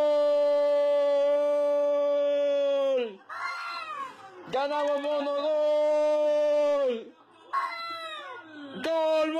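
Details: Domestic cat making a weird noise: a long, flat, steady tonal yowl held about three seconds, then a short broken wavering sound, a second identical sustained tone, and a brief rising cry at the end.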